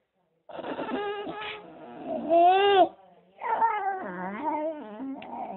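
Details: Fox terrier whining: a long, wavering, nasal moan that swells and climbs to a loud strained peak, breaks off briefly, then resumes with bending, yodel-like pitch slides and falling inflections.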